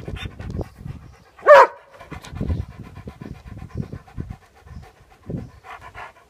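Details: Labrador Retriever panting in quick, regular breathy puffs about twice a second, with one short loud vocal burst near the start.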